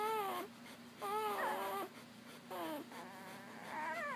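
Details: Newborn Papillon puppies nursing from their mother just after birth: high, wavering whines and squeals with bright overtones, in four bursts over about four seconds, some rising and some falling, with quiet indoor background between them.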